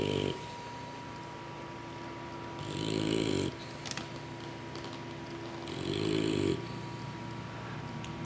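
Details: Full-bellied English Bulldog puppies dozing after feeding from their mother produce rumbling, raspy snores roughly every three seconds, separated by softer hissing exhales over a faint electrical hum.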